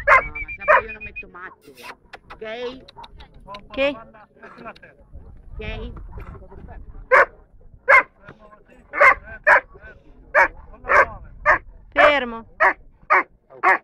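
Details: Junior-class Dobermann at an A.I.A.D national gathering in Rome, 21 March 2010; a man speaks at first amid a few yelps, then the dog barks steadily, roughly one short bark per second, toward the end.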